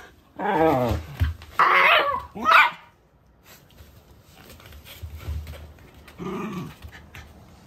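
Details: Talkative female Siberian husky indoors in Japan, vocalising freely: three loud, drawn-out, moaning, woo-like utterances with growly edges in quick succession, then softer grumbling mutters and a short low whine near the end.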